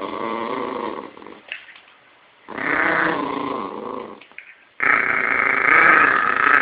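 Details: Yorkshire Terrier growling steadily in three long, gravelly stretches, each rumbling for one to two seconds, the last one the loudest and harshest.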